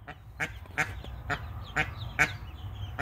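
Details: Mallard hen protecting her newly hatched ducklings, twelve hatched so far, gives short harsh quacks repeated roughly every half second, with faint high peeping in the background.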